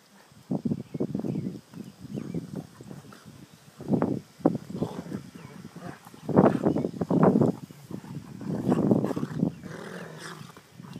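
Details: Dogs at play, giving a run of rough, throaty growling and grunting bursts, each lasting under a second, coming in quick clusters with short pauses between them.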